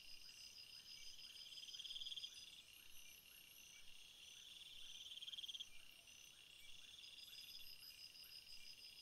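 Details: Crickets chirping together in a steady high-pitched chorus: several layered shrill pulsing bands, some swelling louder twice in short bursts of rapid ticks, with no other sounds standing out.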